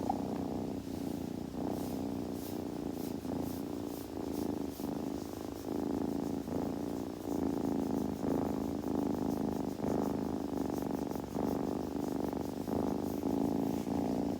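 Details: Low, rhythmic rumbling of a purring kitten, steady pulses with slight swells and pauses, accompanied by faint soft rubbing sounds at intervals.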